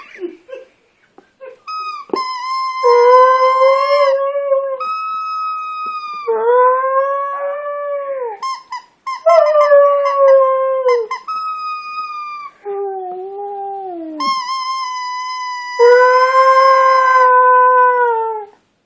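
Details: A female Husky, Alaska, singing along with her ball in a near-continuous run of howls, some notes steady and high, others arching and falling, a few brief lower dips between longer tones.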